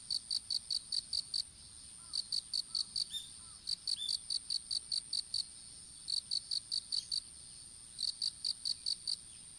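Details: Insect calling in an outdoor strawberry field, recorded on a smartphone dropped while strawberry seedlings were planted. Evenly spaced high chirps come in runs of six to eight, each run about a second long, repeated steadily over a faint high whine.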